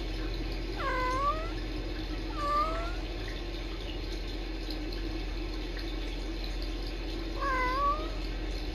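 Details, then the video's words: Kitten sisters Sisko and Mila talking to each other on a Tiny Kittens Society rescue cam: three clusters of quick, bending chirp-trills, the last a pair near the end, against a soft continuous room hum. "Tiny Kittens Sisko & Mila trilling and talking to each other"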